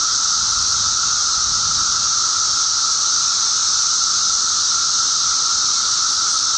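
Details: Periodical cicadas (Magicicada) in a mass emergence in eastern North America, May 19, 2011: a dense, unbroken droning chorus with a steady mid-pitched whine over a loud, hissing high wash, holding even throughout.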